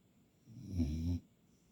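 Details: Sleeping puppy snoring; a single low, rough breath lasting under a second in a quiet room.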